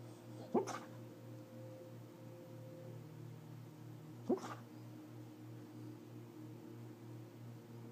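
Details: Sleeping beagle snoring peacefully: two brief snorting, nasal breaths about four seconds apart, over a steady low electrical hum.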